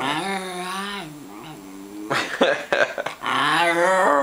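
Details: Miniature schnauzer grumbling grumpily in the morning, unhappy at an early wake-up, indoors: a long, even, tonal growl-moan, a pause of scuffling, then a second drawn-out groaning growl.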